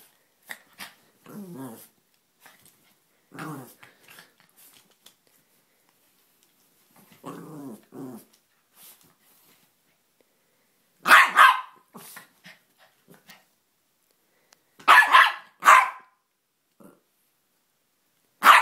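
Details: Small Jack Russell Terrier cross Chihuahua female indoors, barking at a toy figure: soft growls and whines in short bursts at first, then sharp, high yaps in pairs and threes.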